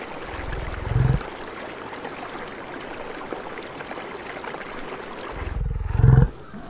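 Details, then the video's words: Buffalo on the savannah in the wild make a deep, rough grunt, then after a pause of about four seconds a second, longer low grunt, all over steady hissing background noise. "The sounds of buffalo in the wild"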